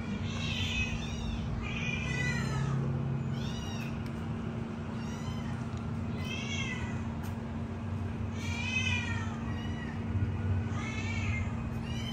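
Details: Three kittens calling for milk give rapid overlapping high-pitched meows, each rising then falling, several per second in uneven bursts, with a constant low electrical hum beneath.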